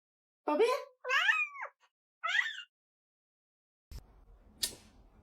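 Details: A cat lets out three short, chirpy meows, each bending up then down in pitch, spaced about a second apart, then soft rustling and a brief knock.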